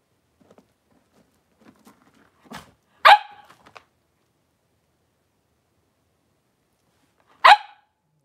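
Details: Blenheim Cavalier King Charles Spaniel puppies, three weeks old, playing and wrestling together in their pen at home; soft scuffling and small squeaks, then two sharp high yips about four seconds apart, with quiet pauses between.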